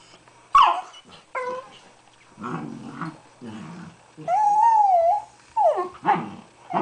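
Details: Two dachshunds squeezed together inside an igloo bed make odd grumbling growls broken by high, wavering whines and yelps.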